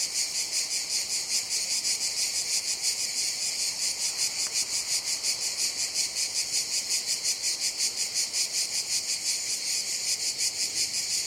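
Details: Summer cicadas fill the air with a steady, shrill, high buzz that throbs in quick regular pulses.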